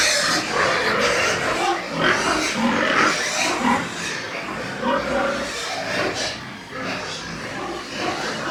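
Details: White pigs kept on a Nepalese pig farm make quick, choppy grunting and harsh squealing sounds in rapid succession, mixed with general noise from the pens.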